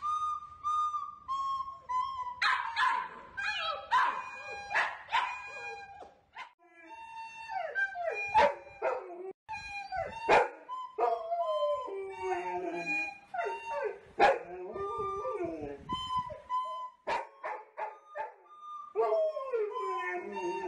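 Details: A 2.5-year-old male Golden Retriever "sings" along with a recorder, howling in wavering, sliding tenor tones.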